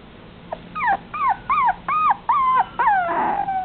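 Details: A male red long-haired Dachshund puppy whines in a run of high, arching whimpers, each rising then falling away.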